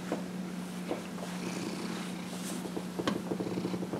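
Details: Elderly male house cat, 15 and a half years old, purring during a massage; an even low drone holds through the clip, with soft clicks and rustles of handling on top.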